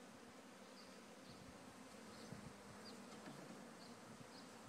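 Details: Honey bees from a farm hive swarming at Friendly Haven Rise Farm while being gently moved: a steady, low droning hum of many wings fills the air, with faint short chirps high above.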